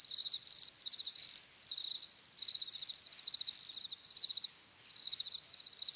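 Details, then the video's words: High, ringing cricket chirps in rapid pulsed groups, about two bursts per second with brief pauses between phrases, a clean insect-only recording. "CRICKETS CHIRPING SOUNDS"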